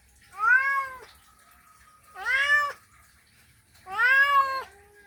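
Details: Male cat calling a female in a mating call: three long, rising-then-falling yowling meows with strong harmonics, each about half a second to a second long, spaced roughly every two seconds, with a faint steady tone between.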